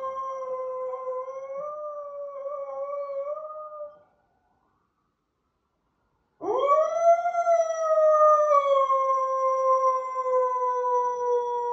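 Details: A dog in the United States stands on a couch by a window, howling in response to sirens: long, sustained, slightly wavering tones. It pauses briefly, then starts again with a rising swoop into a loud, steady, slowly falling howl.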